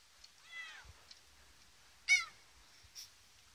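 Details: Bengal cat meowing indoors: a faint falling meow early on, then a louder short harmonic meow dropping in pitch, followed by a brief high squeak.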